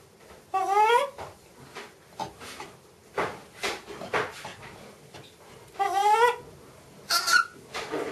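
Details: Miss Anna, a macaque at Bear Creek Sanctuary, excited while watching her breakfast being prepared: two wavering, warbled tonal calls rising and falling in quick undulations, separated by softer noisy bursts and rustling.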